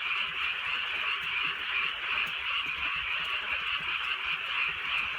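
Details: Frogs calling together on a drizzly countryside night, a dense unbroken chorus of rapid croaks that blend into one steady buzzing wall of sound, with soft rain patter underneath.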